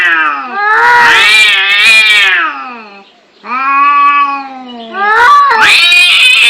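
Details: Cats fighting angrily: a long rising-and-falling yowl, a brief gap, a steadier sustained wail, then a harsh, raspy rising screech.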